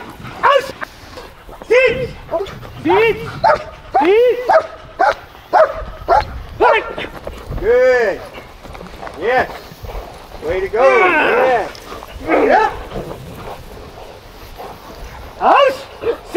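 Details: Kennel-raised German Shepherds making scattered arched yelps and whines, some drawn out, between bursts of a person's encouraging speech.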